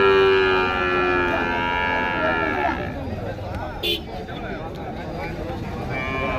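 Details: Young heifer calves for rearing at Pochampalli cattle market: a long, steady moo with rich harmonics for almost three seconds, then it fades into bargaining voices, traffic and a short sharp clatter.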